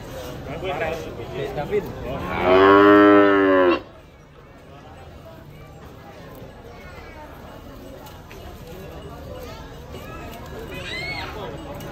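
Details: One strong, rich moo lasting about a second and a half from a cute cow being fed by a young child, with voices talking before and after it.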